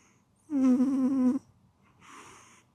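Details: Pet cat snoring in its sleep. One strong buzzing snore lasts almost a second, then a quiet whooshing exhale follows in a still room.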